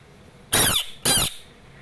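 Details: Screaming Asian bullfrog: two loud, harsh, noisy screams, each about a quarter second long, separated by a brief pause, in a quiet setting.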